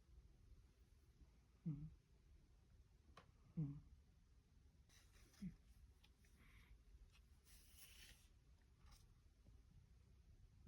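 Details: Domestic cat named Umi, indoors in a small room, snoring: three low, rasping snores about two seconds apart in the first half, then quiet with faint rustling and soft higher clicks.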